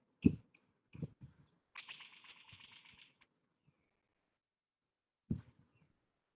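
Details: An Indian giant squirrel (Ratufa indica), recorded in a study of its call diversity, gives a loud, rapid rattling call like a toy machine gun between soft clicks, one of three call types.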